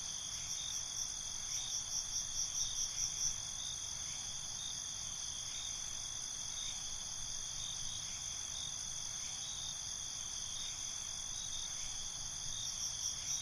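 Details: Night ambience of crickets: continuous shrill high trills layered in bands, rhythmic pulsed chirps strongest in the first few seconds, then a steadier insect drone with soft low rumble beneath.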